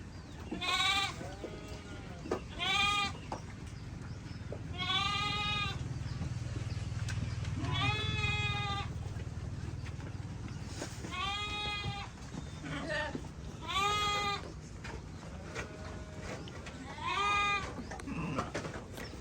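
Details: Sheep bleating together as a flock, with loud wavering bleats arriving every one to three seconds over a steady low rumble of background noise.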